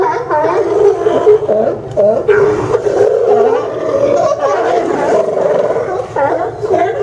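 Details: At the Newport Sea Lion Docks on Yaquina Bay, Oregon, September 20, 2015, a group of sea lions gives a steady din of rough, throaty barks and drawn-out groans, many voices overlapping.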